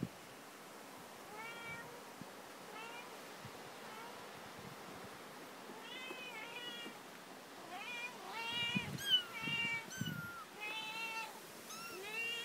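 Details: Newborn kittens found at a family home, giving a run of thin, high meows. Each is short and slightly arched, and they come in loose clusters that grow louder and more crowded toward the end, over a quiet room background.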